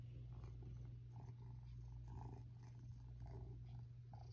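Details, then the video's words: Happy pet cat purring as it is stroked in bed, a continuous deep rumbling drone with faint brushing and fabric sounds over it. "Purring happy cat gets pet while in bed"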